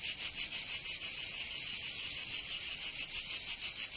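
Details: Cicadas singing in summer in Provence, southern France: a loud, dense, high-pitched buzzing chorus, pulsing in rapid regular beats about three per second, with no other sounds.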